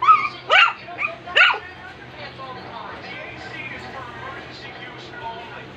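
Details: Three loud, high-pitched yaps from a two-month-old Shih Tzu puppy called Rum come first, followed by low murmured talk and room noise.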